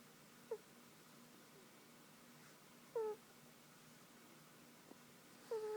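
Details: Dozing on a lap, the pet cat Tiger snores in soft whistled breaths. A faint short squeak is followed by two clearer, slightly descending nasal tones, spaced around two and a half seconds apart, over quiet background hum.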